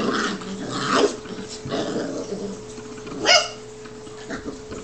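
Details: Two seven-week-old Newfoundland puppy brothers wrestling in play, letting out rough bursts of growls and a sharp yelp-like bark midway, irregular and broken by pauses, with a steady hum in the background.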